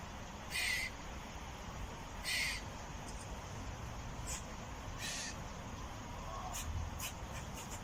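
A squirrel gives short, harsh, raspy barks spaced a couple of seconds apart.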